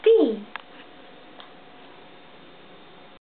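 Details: Camelot, a male house cat, gives a single clear meow that starts high and slides down, indoors after a woman speaking Swedish coaxes him to come up; near silence follows.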